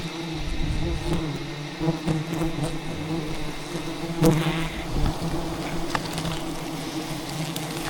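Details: Thousands of wild bees defending their hidden rainforest hive from a traditional honey hunter; a persistent deep buzz with a fainter overtone, with occasional sharp cracks and rustles over it.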